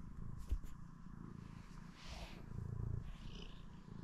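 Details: Pet domestic cat purring in the morning indoors; a low, steady rumbling purr throughout with soft pulsing texture, a brief tap or knock near the half-second mark.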